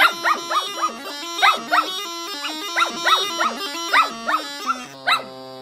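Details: Female Shetland Sheepdog singing along, loud and off key, to her owner's music: repeated arching yelps about twice a second over a steady droning bagpipe-like tune that stops near the end.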